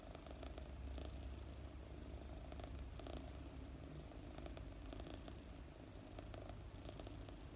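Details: Contented purring from Mooni, a four-month-old British Longhair kitten, as she is stroked and dozes; deep, even rumble pulsing steadily throughout, quiet indoor setting.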